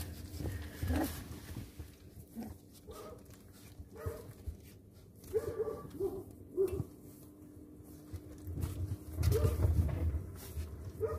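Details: Rottweiler puppies, nearly four weeks old, kept as pets: short high whimpers and squeaks come in scattered bursts, a few per second at times, while a person speaks softly over them with low background hum.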